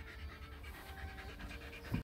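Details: Staffordshire Bull Terrier travelling in a car pants in quick, breathy rhythmic bursts. A steady low engine hum runs underneath, and there is a brief thump near the end.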